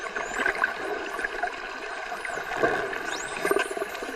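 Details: Underwater in the ocean, a dolphin gives thin, high whistles that sweep up and down over a steady watery hiss.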